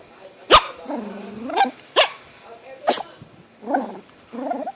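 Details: Four-month-old Chihuahua puppy sneezing: three sharp, explosive snorts about a second apart, mixed with soft human voices in the background.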